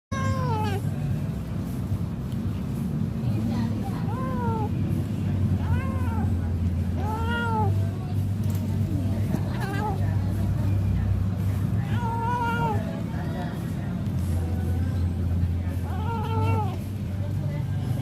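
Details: A domestic cat gives short arched mews while eating, rising then falling and repeated every couple of seconds.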